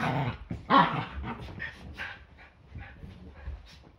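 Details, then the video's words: Yorkshire Terrier play fighting on a Sunday morning before breakfast; a loud bark-like burst near the start gives way to softer rumbling growls and small yips that fade out. "Yorkie ein ganz normaler Sonntag. Ein Tag beginnt immer mit mehreren Kämpfen"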